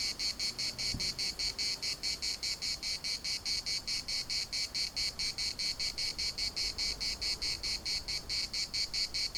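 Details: Larnaca municipal park cicadas in full chorus, a sharp metallic buzz pulsing quickly and regularly; a single short knock sounds near the start, otherwise only faint wind below.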